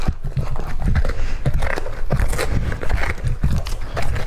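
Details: Lucky, a two-and-a-half-year-old male English Labrador Retriever, chews raw meat in a small room. Rhythmic crunchy chomps repeat about every half second with a deep, thudding low end.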